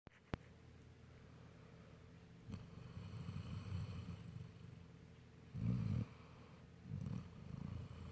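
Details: Sleeping Golden Retriever snoring: low rumbling breaths rising and fading, with louder snores near six and seven seconds over a quiet indoor background.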